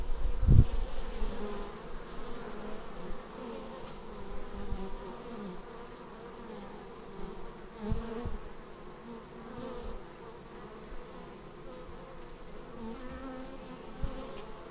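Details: Bees arriving at a beehive, filmed on a Xiaomi Yi action camera: a steady, many-voiced humming drone of wingbeats with wavering tones, and louder low buzzes as individual bees pass close, near the start and around eight seconds.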